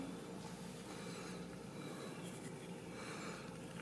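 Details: No animal sound is heard, only quiet indoor rubbing and scraping noises over a low steady hum.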